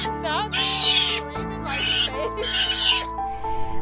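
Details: A rescued juvenile sea otter pup gives three loud, harsh, screeching "meep" cries over soft music; pups cry like this for their mother, for example when hungry, helping her relocate them.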